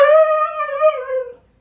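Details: Pet Siberian Husky howling at home: a short, loud, wavering howl with strong harmonics that holds fairly level, then trails off and fades within about one and a half seconds.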